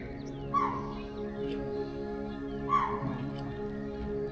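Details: Wild chital giving alarm calls in monsoon forest at Amagarh Leopard Reserve, India, set off by a leopard walking through tall bushes; two sharp, high barks about two seconds apart over steady background music.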